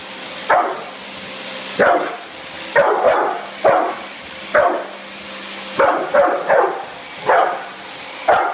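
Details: Bullet, a brindle Pit Bull about two or three years old, barks in short, sharp bursts, about ten barks in under nine seconds, spaced unevenly, some coming in quick pairs, over a steady low background hum.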